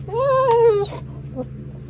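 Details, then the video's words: Pet dog whining as if talking back to its owner when annoyed; one long, wavering, voice-like whine lasting under a second, then quiet room hum. "Funny whiny talking Broley dog."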